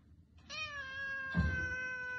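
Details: A domestic cat gives one long, drawn-out meow lasting almost two seconds. It holds steady and falls slightly in pitch, with a brief soft thump partway through.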